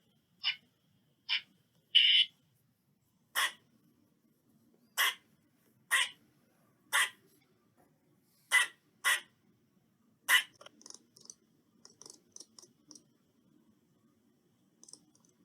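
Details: Eastern squirrel calling: a series of brief, sharp chucks at irregular intervals, with one longer squeal among them. Fainter high ticks and chirps follow toward the end.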